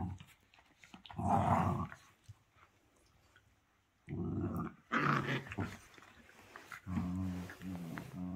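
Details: Domestic dog indoors giving rumbling growls in separate bursts, with a quiet gap in the middle and a more tonal, whining growl near the end.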